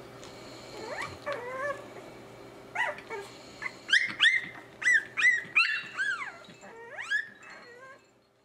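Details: Three-week-old Cavalier King Charles Spaniel puppies trying out growls that come out as high squeaky chirps, Mogwai-like; a rapid run of rising and falling yelps and warbles, quicker and louder in the middle, over a faint steady hum.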